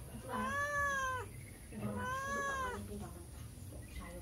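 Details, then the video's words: Cat walking past a house and meowing for food, giving two drawn-out, slightly arched meows of about a second each, separated by a short pause, then quiet with faint background noise. "Kucing Lewat Pingir Rumah Mengeong minta makan"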